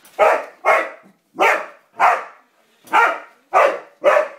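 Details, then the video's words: ['Pet dog Roxy objecting to a yellow toy car with seven sharp, harsh barks in under five seconds, spaced by short silent gaps.'] "Dog barking at a yellow toy car"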